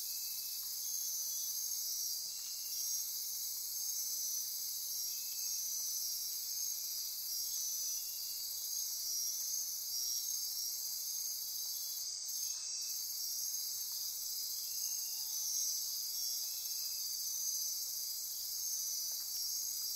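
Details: Dense nocturnal insect chorus in Costa Rican rainforest near Corcovado National Park on the Osa Peninsula at midnight: continuous high shrill buzzing and trilling bands, with short ratcheting pulses repeating lower beneath and a few brief ticks.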